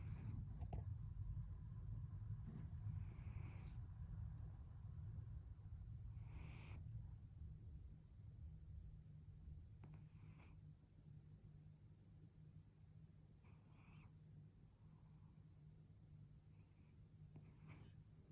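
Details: A pet cat purring and giving small snores: a steady, deep, low rumble that holds through the whole stretch, with a few soft clicks and brief rustles breaking through above it.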